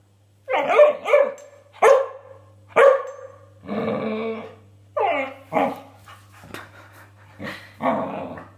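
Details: Border Collie puppy named Nidderdale Seven, indoors, barking and yipping at a piece of beef offered for the first time: about eight short sharp barks, some with growly tails, roughly one per second, over a steady low hum.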